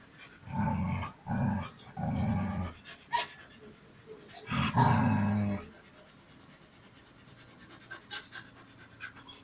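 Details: Male dog courting a female in heat; several short nasal whining or growling bursts around one second each, a sharp squeak, then a longer one-second burst, followed by quieter faint noises.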